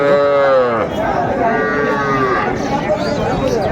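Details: Sahiwal cattle at Raniganj cattle market in Mymensingh, Bangladesh, on Thursday 9 May 2024. A loud, harmonic moo falls in pitch during the first second. Overlapping lowing from other cattle and steady crowd chatter follow.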